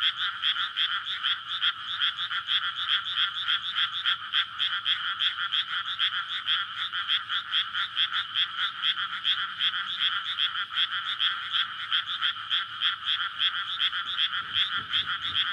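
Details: Nighttime May frog chorus from a water-filled rice paddy amid houses, frogs calling to court and breed; a steady wall of overlapping croaks beats in quick pulses throughout, with a faint low rumble near the end.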